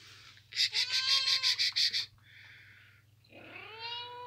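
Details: Kittens sleeping in a boot give a rapid run of about eight short, bright mews in under two seconds, then a fainter squeak and one longer rising-falling mew at the end.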